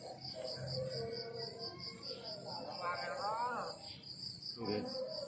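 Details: Crickets chirping in the countryside in the morning: a steady train of short, high pulsed chirps, about four a second, under louder rising-and-falling harmonic calls and a low background rumble.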